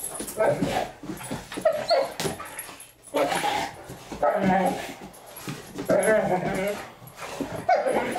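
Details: Two Great Danes, Milly and Izzy, playing indoors and taking over the house: rough, throaty growls and grumbling vocal bursts come in repeated bouts separated by short pauses, with a human voice mixed in.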